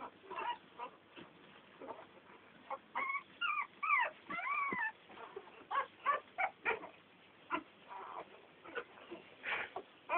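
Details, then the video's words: Ten American Staffordshire Terrier puppies whining together: thin, wavering high squeals and brief yelps, a few drawn-out rising-then-falling whines near the middle, with soft pauses between bursts. "Amerikai Staffordshire Terrier"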